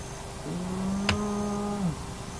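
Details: At an active hyena den of the Naledi clan, a remote camera picks up a single low, level, harmonic moan about one and a half seconds long, interrupted by a sharp click, with a constant background hum.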